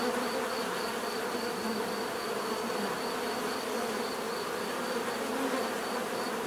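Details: Dense, steady drone of many bees buzzing together, low humming bands with occasional louder passes, and a faint, high, evenly pulsing tone running throughout.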